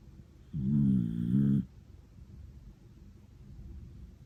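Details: A sound-asleep Miniature Dachshund, a cream-coloured female named Ramu, snores indoors: one long, low rumbling snore lasting about a second, with a buzzy harmonic texture and a slight wobble midway, then quiet breathing.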